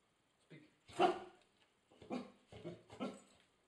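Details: A two-year-old female Golden Labrador trained in basic obedience barks on command indoors: one loud bark followed by several shorter, softer barks over about three seconds.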